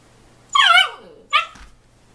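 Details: Husky puppy Bisco yelling at his father Chopper while play-fighting indoors: a loud, harmonic, yelping howl that bends downward, followed by a shorter higher yip, against a quiet room with a faint steady hum.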